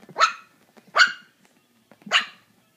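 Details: Puppy playing with a ping pong ball, giving three sharp high barks about one second apart, with soft thuds and faint rustling between them.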